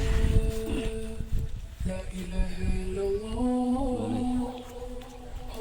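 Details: Music with a sung melody and faint talking plays over a rural cattle market in Bangladesh before Eid al-Adha 2024.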